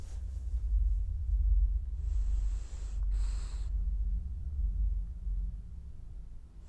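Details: Dreaming French Bulldog giving one drawn-out wheezy breath that breaks into a short snuffling snort, with a low hum underneath in a small indoor room.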